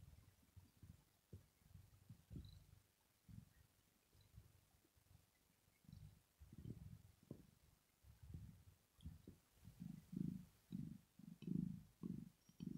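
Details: Sleeping female cat Rosetta purring in contentment: soft, uneven low rumbles at first, growing into stronger, regular purr pulses over the last five seconds, with no other clear sounds.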